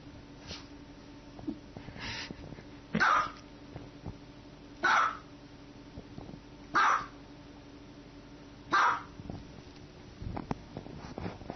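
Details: Domestic dog giving a run of sharp, forceful barks, four loud ones at roughly two-second intervals with fainter yelps between, over a constant background hum.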